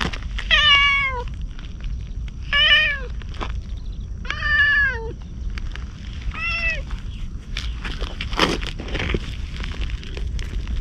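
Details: Stray ginger tabby cat approaching a man as if seeking protection, filmed outdoors at night with a GoPro; four falling meows repeated about every two seconds, followed by rustling and handling noises over a low background rumble.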